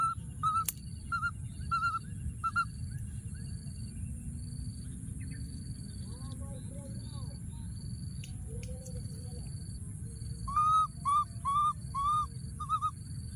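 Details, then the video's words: Wild baby monkey hiding in a thorny tree, calling for his friend: short clear arched coos repeated in quick bursts at the start and again near the end, with a softer stretch between, over low rumbling background and a steady high whine. "What a p.o.o.r baby monkey, hiding in a thorny tree and continuing to call for his friend"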